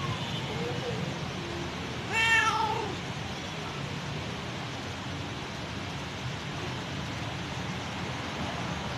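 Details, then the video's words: A mother cat calls her kittens with a single clear meow near the start. The rest is a steady, noisy low rumble with no further calls. "Mom Cat Calling her Kittens"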